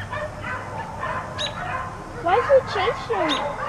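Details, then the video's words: Dogs left outdoors all day bark repeatedly, with high whining yelps clustered near the end, over a steady low hum. "4 Dogs Barking Allday"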